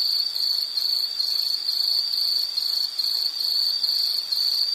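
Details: Continuous insect chirping, high and shrill, beating in quick regular pulses roughly twice a second over a quiet background hiss.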